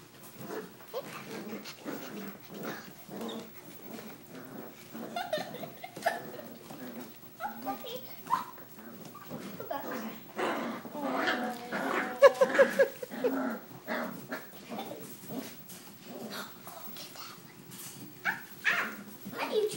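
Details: Australian Shepherd puppies, six weeks old, playing and chewing on towels after a bath indoors; busy mix of short whimpers, squeaks and yips with scuffling, plus a woman calling to them.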